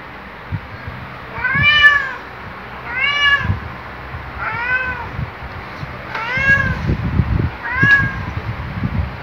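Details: Black cat Luna greets his owner on waking with a loud, jolly series of five arched, harmonic meows spaced roughly every one and a half seconds, each rising then falling, with soft rustling and bedding noise between calls.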